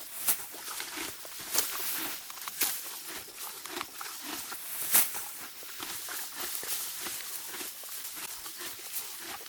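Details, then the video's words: Grazing Morgan horse mare in deep spring grass: rhythmic rasping tears of grass and crunchy chewing, with several louder snapping bites spread across the recording outdoors. "HQ sound of my Morgan Horse spring grazing."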